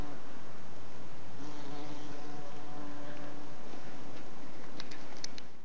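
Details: Bees mating, giving a steady droning buzz with a faint sustained hum tone running through a dense, noisy background, plus a few brief clicks toward the end.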